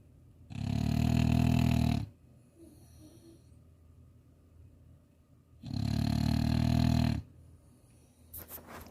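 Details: French Bulldog asleep in Chuncheon, snoring: two low, rattling, rumbling snores about five seconds apart, each lasting roughly one and a half seconds, with soft breathing between.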